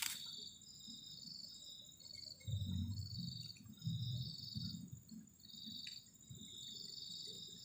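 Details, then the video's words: Crickets chirp on a cold night near a tent at a forest edge: rapid high pulsed trills repeated in quick bursts, over a low rumbling murmur of camp movement. "ENJOYING THE SOUND OF CRICKETS ON A COLD NIGHT"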